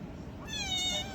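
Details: A single loud meow from a small kitten, rising after a brief quiet moment into a steady, bright, harmonic-rich tone of about half a second over faint room hum.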